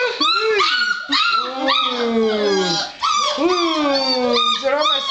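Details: Several six-week-old littermate puppies crying in a chorus of rising and sliding whines and short yips, with a woman's excited voice mixed in.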